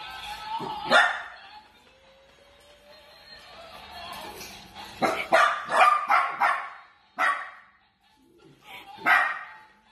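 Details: A playful Dachshund (sausage dog) barks sharply in short bursts: one early bark, then a rapid cluster of about five barks mid-clip and two more spaced barks near the end, with soft music and a quiet voice in the background.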